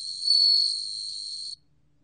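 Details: Bell cricket song: a steady, high, pure ringing tone that swells briefly, then holds for about one and a half seconds before stopping abruptly. A faint lower chirp is heard early on. The background is otherwise quiet.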